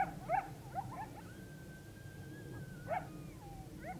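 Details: Coyotes calling together on October 9, 2022, under a rising full moon: bursts of sharp yips open, then a long steady howl holds before sliding down, with more yelping bursts over a constant low rumble.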